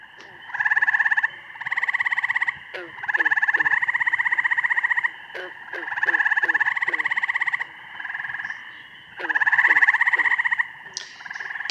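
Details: An eastern gray tree frog, in northern Illinois, gives loud, musical pulsed trills, each lasting about a second, with other frogs calling behind.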